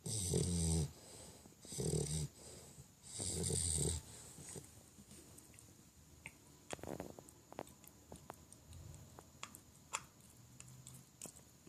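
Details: A 5-month-old male English Bulldog snores loudly while asleep, three rough, rattling breaths, then quieter clicks and rustles follow.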